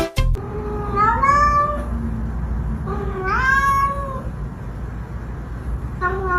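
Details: Domestic cat in a home gives two drawn-out, rising-then-falling meows about two seconds apart, followed by a short third meow, over a steady low hum.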